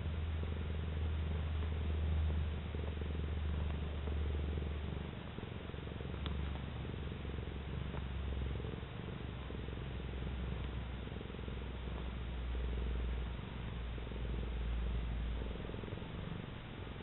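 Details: Domestic cat purring while kneading and basking in the sun: a deep, continuous rumbling purr with rhythmic breathing swells, easing slightly around five and thirteen seconds before building again.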